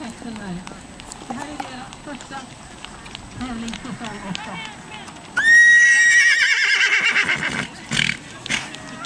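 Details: Irish Cob (tinker) gelding at a cross-country driving marathon competition in Villvattnet, northern Sweden, 2009, first facing wooden obstacles and forest streams: a loud whinny bursts out midway, falling and quavering for about two seconds, after a person's quiet speech and rustling.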